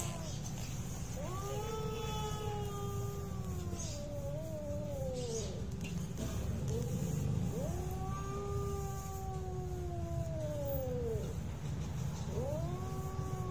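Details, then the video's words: Cats in a real fight, drawn-out wavering yowls rising and falling in long arcs, two main howls several seconds each, set against a steady low engine-like rumble throughout. "real cat fight with sound"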